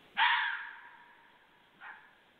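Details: Fox barking at night, recorded 2 January 2014 at 23:51; one loud, harsh bark that fades over about a second, followed by a shorter, fainter second bark. The background is otherwise quiet.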